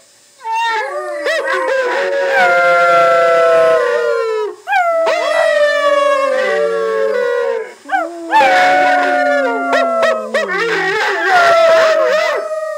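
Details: A large Cardigan Welsh Corgi, confused while watching a video of another dog, howls in long, wavering phrases that slide up and down.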